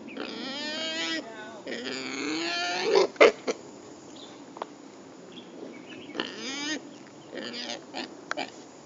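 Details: Wild boar (Sus scrofa) on Monkey Hill, where a large population lives, giving harmonic-rich, wavering squeals in three bursts of about one second each, with sharp clicks and knocks between and quiet background noise.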